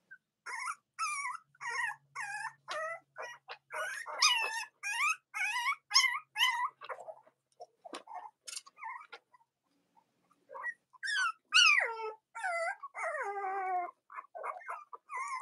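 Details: Young Cavalier King Charles Spaniel puppies, litters of mothers Robin and Myra, cry indoors with rapid, high, bending squeaks about twice a second, a brief lull, then renewed piping whines.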